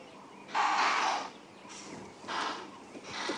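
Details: Sunrise alarm shouting from an impala herd reacting to nearby lions: a long rough snorting burst followed by two shorter explosive blasts, spaced over about three seconds, over faint background birdsong.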